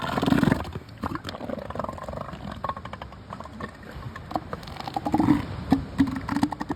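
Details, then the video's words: Young southern elephant seals hauled out on a Sea Lion Island beach in the Falklands in December, giving deep throaty belching roars, some with a tonal edge, rising and falling in irregular bouts amid wind rumble. "Southern Elephant Seals, Falkland Islands, December, 2024"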